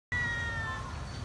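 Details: Feral cat seen close up, meowing while waiting for food and still wary of people: a single clear, steady tonal meow lasting about a second, with a hum of low background noise.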